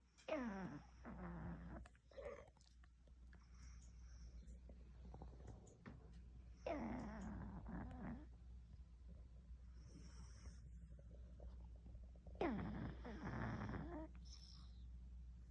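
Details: Sleeping Shih Tzu puppy indoors: three slow, drawn-out snoring breaths roughly six seconds apart, each a rough, noisy rasp with faint whistling tones between, over a low steady hum.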